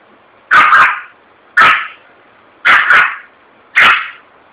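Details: Frightened Yorkshire Terrier in a shopping street in Vitória da Conquista, Brazil, barking after a balloon bursts; four sharp, bright barks, some doubled, about one a second with short pauses between.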